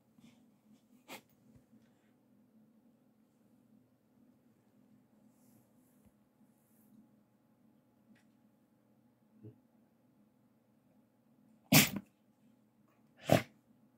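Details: Young Siberian Husky named Gori, a puppy, rolling around indoors and sneezing forcefully: two sharp, broadband bursts near the end, a smaller snort-like sound before them, otherwise a quiet room with soft hum and faint rustling.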